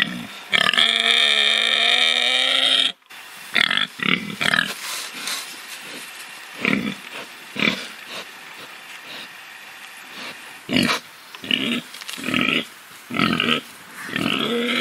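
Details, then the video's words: Domestic farm pig: a drawn-out harmonic squeal lasting about two seconds, followed by a run of short, irregular grunting bursts, several per second at times. "How a Pig Sound?"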